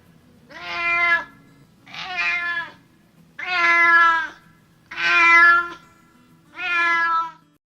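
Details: Domestic cat, one of seven kitten meow types, giving five clear harmonic meows, each about a second long and spaced roughly every one and a half seconds, steady in pitch, in a quiet indoor setting.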